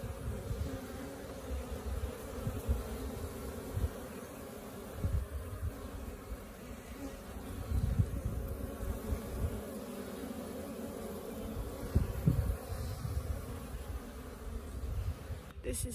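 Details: Wild honey bee colony living in a tree beside a house, second day after arrival; long steady low drone of many bees, even in loudness, with a brief thump at the end.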